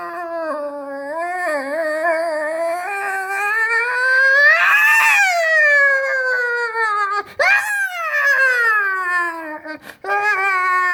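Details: Outside at night, a cat gives a long, wailing yowl that rises and falls in pitch, almost like a crying baby, heard when two cats meet; finding: cat.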